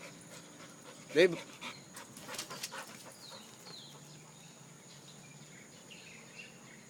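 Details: Dog named Dave gives a single short, sharp bark about a second in. Quieter rustling and soft human voices follow, with the dog being praised as a good boy and told to get down.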